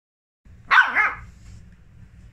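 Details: Dachshund puppy, frightened of a teddy bear and hiding beside a blanket, lets out one sharp, high yelping bark with a quick second rise, then low rumbling handling noise.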